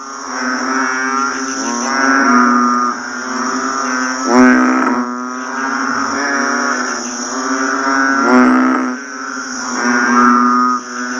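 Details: Banded bullfrogs calling just after rain: overlapping deep, moaning, harmonic-rich calls swell and fade every few seconds over a steady high insect-like drone.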